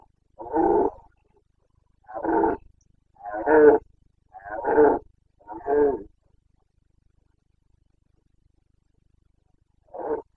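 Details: Red deer stag of the Carpathians, Bucovina, bellowing during the 2022 rut (boncănit). Five throaty, hoarse roars come in close succession, about one per second, then a pause before a sixth shorter roar.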